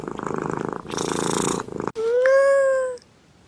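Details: A domestic cat purring with a steady rapid pulsing rhythm for about two seconds, then a single long, smooth, slightly arching meow.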